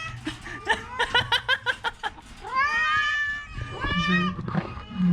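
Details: A sick orange cat with a cough and a cold makes a quick burst of short, stuttering chirp-like cries, then two long, bending meows, with a faint low hum behind.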